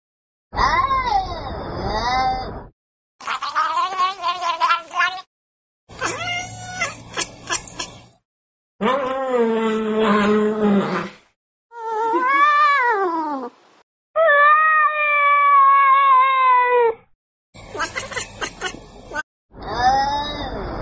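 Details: Domestic cats, pet compilation, meowing for attention: about eight separate bursts of harmonic, arching meows, some short and rising-falling, one long drawn-out wail, divided by abrupt cuts and brief silences.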